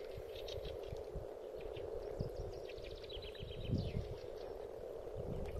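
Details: Spawning frogs in a spring pond keep up a dense, low, rolling chorus. Scattered knocks and thumps sound close by, and brief high bird trills come in near the middle.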